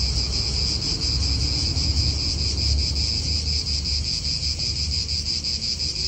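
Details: Steady shrill cicada drone in an Italian park, the high buzz unbroken throughout, over gusty low wind and faint traffic hum.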